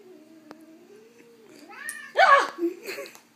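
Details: Pet cat Jasper, indoors with a hair clip put on its tail and reacting badly, gives one loud drawn-out meow that rises then falls, after a low steady hum and soft human voices.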